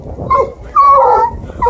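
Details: Two Bluetick beagle puppies, Olivia (4 months) and Minnie (5.5 months), on their first chase of a deer hide near Kingston, Ontario. A short yip is followed by a drawn, tonal whine that wavers before breaking off.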